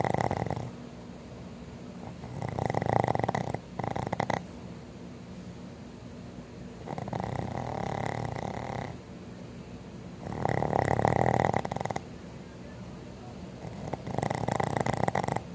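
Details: Sleeping Boston Terriers snoring indoors, loud enough to drown out a TV: rattling, buzzy inhaled snores lasting one to two seconds, coming in bursts every four to five seconds with quieter breathing between.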